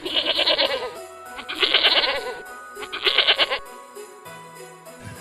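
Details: Goat bleating, three wavering, nasal bleats in separate bursts of about a second each, over steady background music with tinkling bell-like notes.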